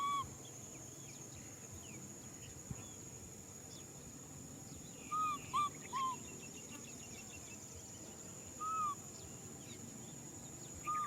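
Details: Young macaque Nui Simon crying for a hug, giving soft arched whistled cries, singly and in a quick pair, spaced over several seconds against a steady low hum and a faint high whine.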